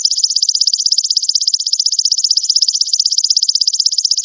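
A golden grasshopper produces a continuous high-pitched buzz, pulsing quickly and evenly at about ten beats each second. The shrill, dry trill holds the same pitch throughout, with no other sounds behind it.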